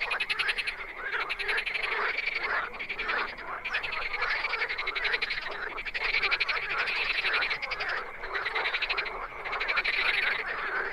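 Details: Several wild frogs calling at once, their fast rattling croaks blending into an unbroken pulsing chorus that rises and falls slightly in loudness throughout.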